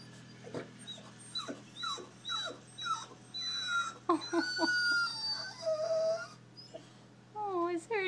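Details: Pet dog Ginger whimpering, eager to play with another dog outside: a run of high, thin whines and yelps, many sliding downward, some with a rising pitch, coming in quick bursts, with a person speaking softly nearby.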